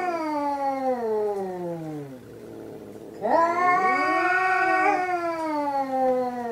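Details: Hokuro and a black-and-white cat fighting for the third time: a long falling yowl fades, then after a brief lull a louder wail swoops upward and holds a tense, wavering pitch.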